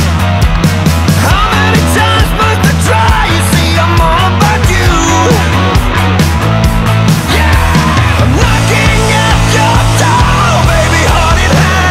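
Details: Loud rock music with distorted guitars, drums and singing fills the whole recording, and no animal voice stands out.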